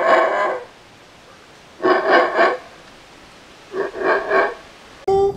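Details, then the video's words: Howler monkey howls in three separate bursts of rapid, throaty pulsing roars, each about a second long with quiet gaps between, ending with a sharp, clear tonal note. "Howler Monkey Howling Compilation | Sounds of Howler Monkey Howling | Alouatta Sound"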